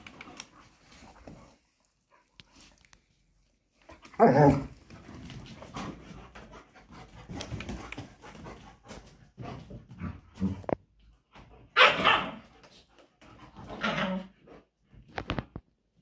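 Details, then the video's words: German Shepherd dogs fighting during mating and breeding; loud, harsh, rough bursts break out near the start, middle and end, separated by quieter stretches of scuffling and breathing in a small space. "german shepherd fighting during mating and breeding"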